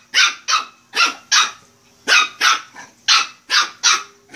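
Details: Shih Tzu puppy barking while playing: ten sharp, high-pitched yappy barks in quick clusters of two to four, each short and bright, with brief pauses between groups.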